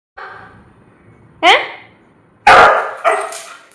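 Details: Husky dog giving a drawn-out, whining howl with clear stacked harmonics for about a second. A quick upward-sweeping yelp follows, then two loud, harsh bursts.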